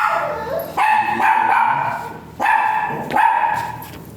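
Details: Dog at a veterinary clinic during a breeding service, both dam and sire still virgin; loud barks with a bright tonal core, two bursts about 1.6 seconds apart, each holding briefly.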